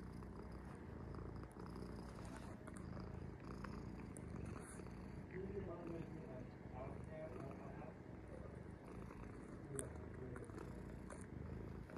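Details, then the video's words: Cat Sora lies resting and purrs in an even, low vibrating drone, with faint rustling and some higher tones over it. "Take a rest with cat Sora- three minutes purring"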